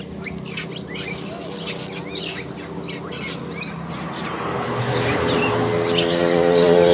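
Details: Wild monkeys, a crowd being fed corn, noisy; small ones chirp and hang back because big dominant ones hold the spot. Many short high chirps and squeaks overlap in bursts, with a low steady hum and rising background noise toward the end.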